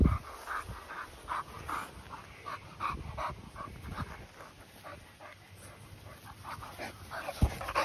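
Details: Continental Bulldog panting at home, where a 10-month-old female welcomes her 2-month-old puppy brother; steady, rapid huffing breaths repeat about twice a second throughout, with a sharp knock near the end.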